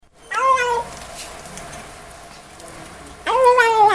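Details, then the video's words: Kitten meowing while eating indoors: two clear, high, slightly wavering meows, one near the start and one at the end, separated by quieter munching. "Kitten Makes Hilarious Sounds While Eating"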